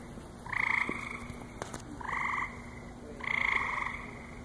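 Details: Frogs calling at a lily pond at the Cranbrook Institute of Science on a July 7, 2014 night: three short, nasal, twangy croaks, each about half a second long and spaced roughly 1.3 seconds apart, against quiet background hiss.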